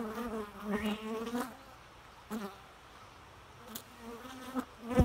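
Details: Bee buzz heard in short droning passes that swell and fade, separated by quieter stretches, with a few faint clicks.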